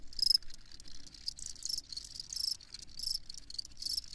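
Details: Crickets calling with quick, shrill chirps in clustered bursts several times a second, plus a faint thin whistle-like trill, over quiet background.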